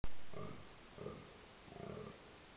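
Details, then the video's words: Rutting red deer at park Berg & Bos at dusk in October 2014; three short, hoarse, grunting bellows roughly every 0.7 seconds, preceded by a sharp click, over a hissy background. "Burlend hert"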